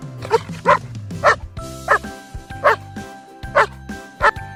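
Deep, punchy barks from a Dogo Argentino come in quick succession, roughly every half second to second. Instrumental music plays steadily underneath the barking.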